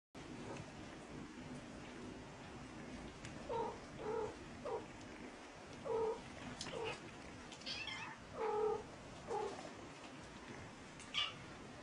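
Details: Mother cat giving a series of short, nasal meows, a few rising then dropping, spaced irregularly about every half second to second over a steady low background hiss.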